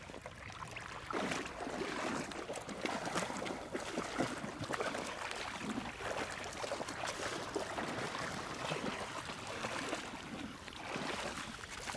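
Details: Continuous rushing and gurgling of river water, with splashes throughout.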